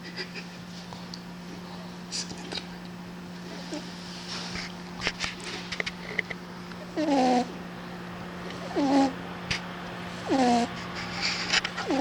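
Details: A sleeping cat snores, with quiet rustling and faint clicks at first, then three harmonic, wavering snore bursts about every two seconds over a steady low hum.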